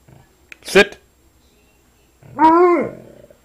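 An Alaskan Malamute gives a drawn-out, arching 'woo' call, rising then falling, asking to be petted.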